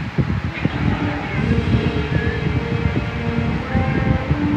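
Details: Steady vehicle rumble and wind with indistinct human speech, and no animal voice.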